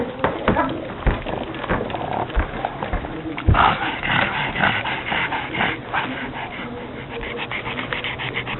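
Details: Female pet pug that dislikes the heat, making pug noises: hoarse, rapid panting and snuffling breaths, louder bursts in the middle, with a faint human voice in the background.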